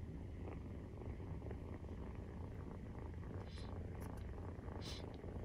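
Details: Maine Coon cats purring during nursing, kittens 43 days old; a steady, low, rumbling purr fills the recording, with a few faint higher clicks and rustles near the end.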